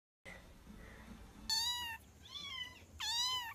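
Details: Cat crying indoors with three short, higher-pitched meows in quick succession, each dipping slightly at the end, spaced under a second apart after a quiet murmur of room noise.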